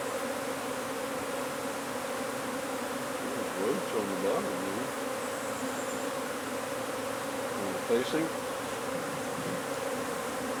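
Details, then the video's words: Honey bees humming continuously as their hive is taken from under a wood pile in McAllen, Texas; the low, even buzz carries throughout, with soft voices rising briefly twice. "Bee hive removal under wood pile in McAllen, TX"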